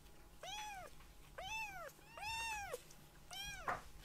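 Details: Young rescued kittens indoors after a nap, fussing over their mother: four clear, bright meows, each rising then falling, roughly one per second, with a small bump at the end.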